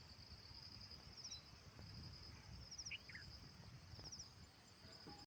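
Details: Insects calling outside: three bursts of quick high chirps spaced about one and a half seconds apart over a steady thin whine, with a couple of brief lower bird-like notes in the middle and soft background noise.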